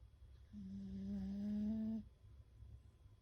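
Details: Beagle Fukuko asleep, nose breathing like a chorus: one smooth whistling tone held about one and a half seconds, swelling slightly, with faint higher overtones over a low steady background rumble.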